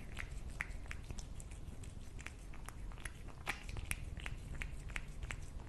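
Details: Cat eating food indoors, close up: quick, crisp crunching clicks from biting and chewing, irregular, several each second, over a steady low room rumble.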